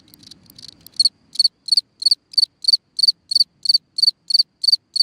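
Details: A singing cricket at night in a ground hole: after a second of faint rustling and weak ticks, clear high-pitched chirps begin, repeated regularly about every third of a second.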